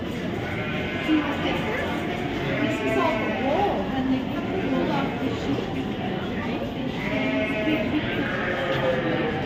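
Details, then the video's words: Sheep bleating at the 2023 Royal Winter Fair in Toronto, Ontario, Canada, with two shaky, drawn-out calls about four seconds apart, half buried under loud people talking nearby. "Sheep's sound Effects"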